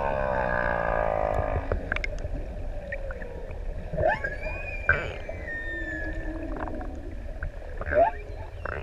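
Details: Humpback whales singing in the deep open sea off ʻEua island, Tonga, six adults playing around swimmers; a harmonic descending moan opens, followed by rising and falling whistled sweeps and squeaks over low water rumble.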